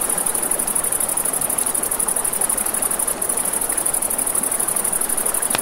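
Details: Crickets at night by a river beside a campfire, a high, continuous pulsing trill held steady throughout, over a broad wash of rushing river water and soft fire crackle.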